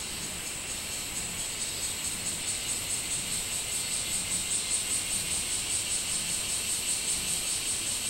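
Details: Minmin cicada on 24 July 2016, a high droning chorus overlaid with a crisp run of evenly spaced pulses, roughly two to three per second, growing slightly louder toward the end.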